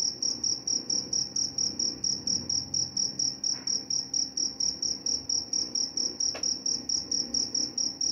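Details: Sustained high cricket chirps pulsing evenly around four times a second; a brief soft click interrupts near the end, with a faint low hum behind.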